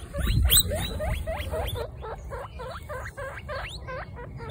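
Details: Baby guinea pigs out on a first picnic, part of a group of 26 females; a steady run of short rising squeaks, roughly four per second, fading slightly, over a low rumbling background.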